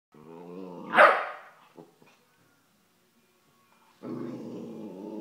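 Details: Vizsla dog, with a broom involved, gives a low harmonic growl that swells into one sharp loud bark near the first second, then a short pause and another long, steady rumbling growl.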